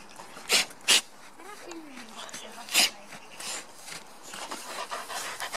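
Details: Alaskan Malamute waiting for Christmas pants in a few sharp, breathy huffs, with a faint whine in between.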